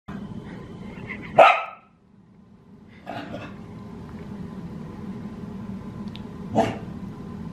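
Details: Australian Cattle Dogs in a weekend play session, with the puppy Sully and the older females he is being introduced to: one sharp, loud bark, a softer yelp-like burst, then a second bark several seconds later over a steady low hum.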